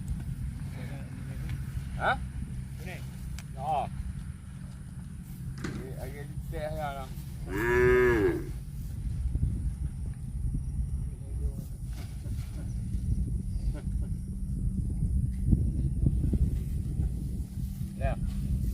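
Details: Cow mooing: a few short, nasal calls early on, then one loud, drawn-out moo rich in harmonics that swells and fades over about a second, set against a steady low rumble of background noise.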